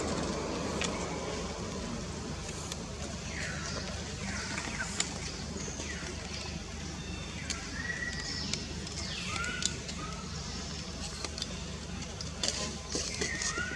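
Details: A frightened young wild monkey named Jody, living around Angkor Wat in Cambodia, keeps crying for its mother Jane after being kidnapped for the first time. Thin rising and falling squeals come in bursts over a background of people and engine noise.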